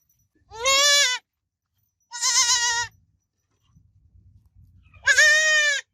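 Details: Goat kid babbling with three separate bright, quavering bleats spaced about two seconds apart, each roughly half a second to a second long, over faint low background noise.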